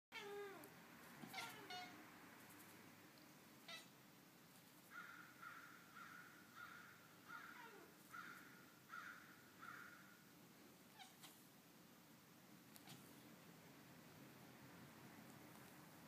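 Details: Domestic cat chittering at crows: a run of about seven quick, evenly spaced clicking chirps over roughly five seconds, preceded by a louder rough call and a few clicks, in faint background noise.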